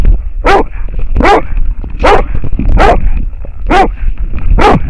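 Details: American Foxhound barking at a wild boar, recorded with a dog-worn camera; six loud, bawling barks roughly every 0.8 seconds, each with a falling howl-like tail, over steady low rumble and a faint whine.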